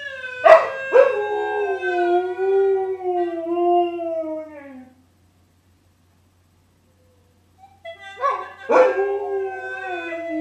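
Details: Reilly the dog roams and howls along to a gourd instrument: a long, smooth, tonal howl slowly falling in pitch over about four seconds, then silence before a second howl rises and wavers near the end.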